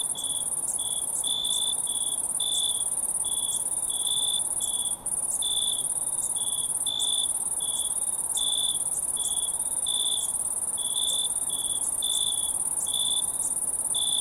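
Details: Wild crickets calling together: a continuous piercing high-pitched hum underlies a string of short, buzzy trilled chirps, each lasting under a second, coming roughly every second or two in an uneven rhythm.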